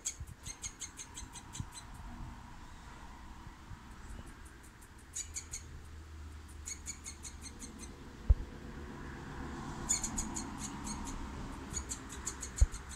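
A squirrel gives bursts of rapid, high, ticking chatter, repeated in short runs over a low outdoor rumble.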